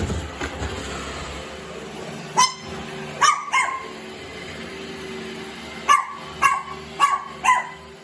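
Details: Pet Chihuahua at home with a baby, both curious about a robot vacuum cleaner; seven sharp, high, clipped barks come singly and in quick pairs over a steady mechanical hum.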